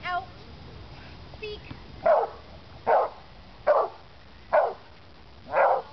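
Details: An American Pit Bull Terrier barks during protection training: five sharp, evenly spaced barks roughly one second apart follow a brief moment of quieter sound at the start.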